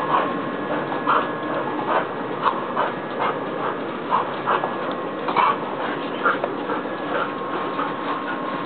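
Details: Border Collie giving short, whimpering yelps repeated roughly once a second, each a brief mid-pitched burst, heard over steady background music and a voice chanting "be a bad ass".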